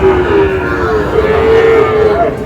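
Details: Sahiwal bull calves at a cattle market, bought by a Chittagong farmer, give a long, steady, tonal moo that holds level for over two seconds, with faint background talk.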